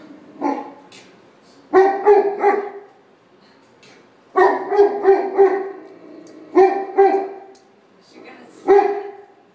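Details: Female dog barking at Georges St. Pierre on Christmas morning indoors; sharp barks come in bursts of one to four, separated by short quiet gaps of about two seconds.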